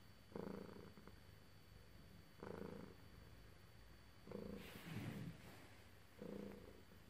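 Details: Domestic cat purring while being petted: a quiet, low rumbling purr swelling in breath-paced bursts roughly every two seconds, with a soft rustle of handling near the middle.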